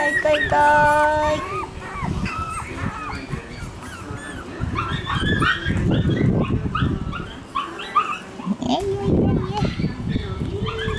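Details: Young Shiba Inu puppies, litters born June 5 and 9, taking their first brief trip outdoors. Short high-pitched whines and yelps come at the start, then mostly people chatting, with small puppy noises between.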